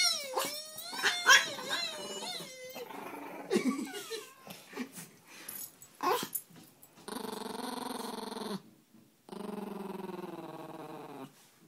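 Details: Annoyed Peka-Pom dogs, five-pound pets named Sasha and Sissy, teased by a man indoors; high wavering growls and snarls at first, then two long steady buzzing growls of about a second and a half each.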